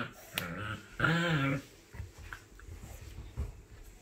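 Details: At a first meeting between a 3-month-old male Shiba Inu and a 10-week-old female Pug, one puppy gives a short low grunt, then a louder half-second harmonic growling whine, followed by faint shuffling and soft clicks in a quiet room.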